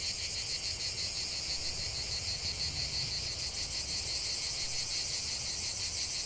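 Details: Continuous dense chorus of cicadas singing in nature, a steady high buzzing band with a rapid pulsing texture and even loudness throughout, no other clear sounds.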